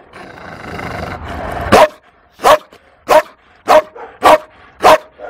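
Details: Female Malinois, described as fearful, in the Toulouse SPA shelter in April 2014: after low background murmur, six loud barks follow at intervals of roughly half a second.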